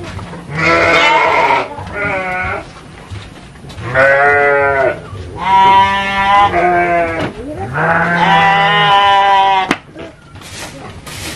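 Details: Garut sheep at a fighting-sheep farm in Dangiang village, Cilawu, Garut Regency, West Java, Indonesia: loud, wavering, harmonic bleats in four long bursts of one to two seconds each, with short quiet gaps between them.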